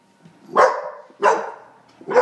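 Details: Indoor squabble over a treat between a teacup Chihuahua and a Great Pyrenees puppy, with two loud, raspy barks about two-thirds of a second apart and the start of a third, over low room hum.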